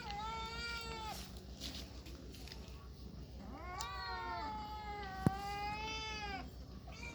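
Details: Kittens meowing: a long, level meow, then rising-and-falling drawn-out meows around four seconds in, with a steady low hum underneath throughout.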